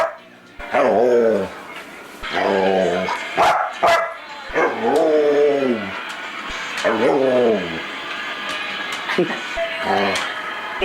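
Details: Foster dog Luca, described as very talkative, utters about five drawn-out, downward-sliding harmonic moans spaced a couple of seconds apart, with clicks and background music throughout.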